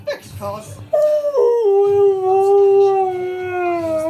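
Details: Siberian Husky Key during his usual morning talk, likened to riding an invisible motorbike: after a few short yips, a long steady tonal howl starts higher, steps down and holds a gently wavering, slowly falling pitch for three seconds.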